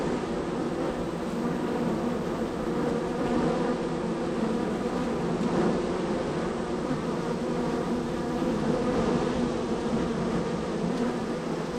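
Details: A very busy honey bee colony at hive three on the row, workers streaming in and out; continuous layered humming drone from countless bees, steady and unbroken, with occasional louder swells as bees fly near.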